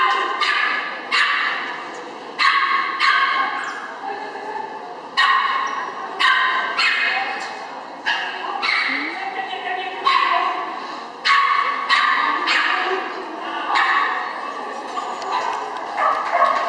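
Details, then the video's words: Chihuahua named Karlo running an agility trial at Gallus Henau in September 2011; sharp, high yapping barks come in quick bursts, roughly one to two a second, over a murmur of human voices. "Agility AT Gallus Henau 09/2011 Chihuahua Karlo"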